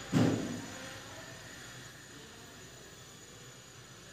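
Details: A single short thump followed by quiet indoor room hum, with no animal voice.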